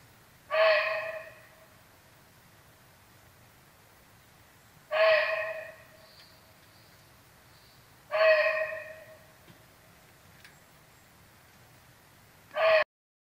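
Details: A muntjac (barking deer) gives loud, harsh, single barks spaced a few seconds apart, an alarm call raised on sensing a tiger.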